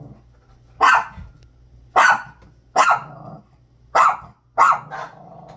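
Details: Loud dog barks directed at a bag, five sharp harsh barks spaced about a second apart, with faint growling underneath between them.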